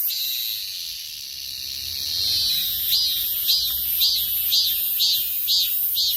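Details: A steady, shrill cicada drone swells, then turns into regular throbbing pulses roughly twice per second, each one a rising buzzy surge.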